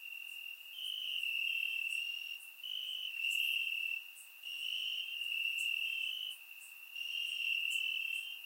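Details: Warm summer night in Bulgaria with crickets chirping in the grass, captured by a surround microphone; high trilled bursts about a second and a half long alternate with short quieter gaps, roughly five bursts in sequence.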